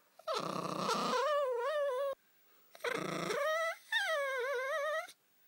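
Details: Spitz dog giving a moaning vocal "song": two long wavering, harmonic moans about two seconds each, starting as a rough broad-band groan and sliding into a tonal, warbling wail.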